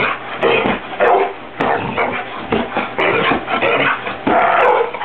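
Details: Dog barking repeatedly at pillows being fluffed, which it dislikes; short rough barks and yips in quick bursts about every half second to a second, with muffled rustling in the background.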